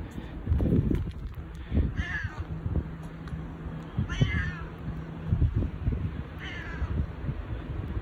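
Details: Boss cat Bu-chan, a domestic cat, calls in a husky voice, five times more affectionate than usual with no other cats nearby; three clear, rough, downward-bending meows about two seconds apart, plus low knocks and a faint hum.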